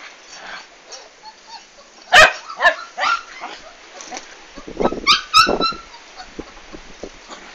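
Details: Komondor dog during the big move of 11 March 2016: a few sharp barks near the start, then a tight run of higher yips and whines around five seconds, with handling noise underneath.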